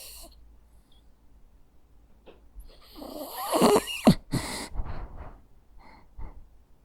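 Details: Jack Russell Terrier dog snoring while asleep: soft breathy snores at first, then a loud rasping, snorting snore in the middle, followed by fading wheezy breaths in a quiet room.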